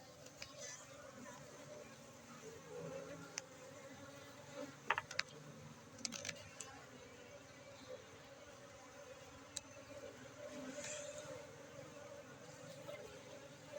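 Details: Honeybee colony at a honey farm in Tingkem Bersatu village, Bener Meriah, Aceh, during harvest on 4 August 2023; soft continuous droning hum with occasional sharp clicks and knocks from handling.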